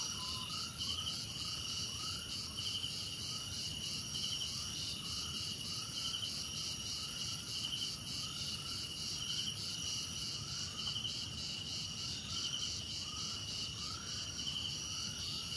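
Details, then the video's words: Nature ambience of crickets: unbroken shrill multi-layered trilling with evenly spaced pulsed chirps about every one to two seconds, accompanied by faint short rising calls lower in pitch and a dull low-frequency rumble. "Relaxing Cricket Sounds"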